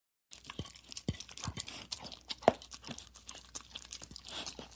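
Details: Dog licking a plate indoors: quick wet smacks and tongue clicks in an uneven run, some sharper taps of the tongue on the plate, in a quiet small room.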